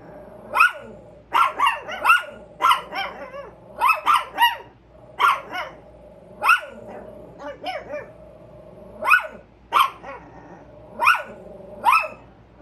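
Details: Two Chihuahuas, Carmen and Tia, on alert and barking at a squirrel: a rapid run of sharp, high yaps, often in pairs or quick clusters, roughly a dozen across the stretch, with a faint steady hum beneath.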